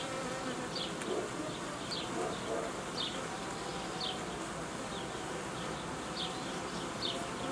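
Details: Honey bee hum at an apiary while colonies are merged and new young-queen colonies created; a continuous buzzing drone with repeated short high chirps roughly every second.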